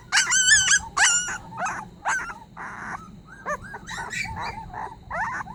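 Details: Young puppy crying sorrowfully as if begging for help, giving loud high-pitched whines with bending pitch, first long and strong, then shorter broken yelps and whimpers at irregular intervals.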